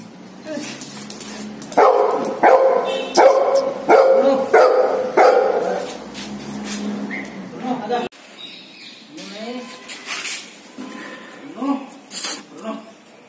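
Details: Golden retriever giving a run of loud, harmonic barks about every half second in the middle of the recording, then softer short yelps, with people talking and other sounds in the background.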